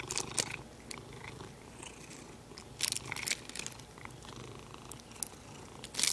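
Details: A house cat purrs in a low, even rumble while playing with its beloved plastic, brief bursts of crisp plastic crinkling breaking in at the start, middle and end.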